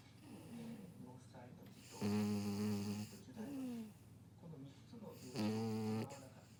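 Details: Pero, a French Bulldog, snoring while asleep; loud, droning, tonal snores last about a second each and come every few seconds, with softer wheezy breaths rising in pitch between them.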